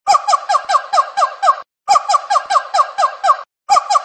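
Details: Monkey cry: squeaky, chattering notes in rapid bursts of about six to seven, each burst lasting under two seconds, separated by short silent pauses and repeated in the same pattern.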